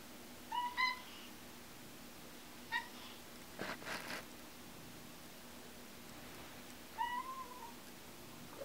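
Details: A pet cat that rarely meows gives short, high squeaks instead: three brief rising-falling chirps spaced a few seconds apart, with a faint clatter in between in a quiet room.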